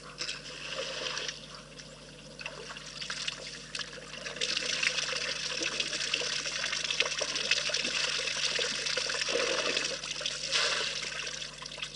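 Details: Steady splashing and trickling water fills the recording, with no animal calls heard. The watery hiss swells and fades throughout, and no voices or other calls stand out above it.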